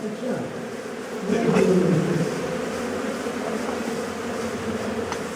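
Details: Swarm of honey bees droning during a primitive honey harvest from a wild hive by bushmen; a steady buzzing hum that grows louder near the second second, with faint voices nearby.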